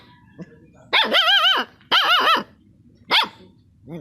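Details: Dog howling in short, wavering tonal bursts: two sustained, wobbling cries of about half a second each, then a brief higher yelp and a faint rising whine at the end, over a quiet background.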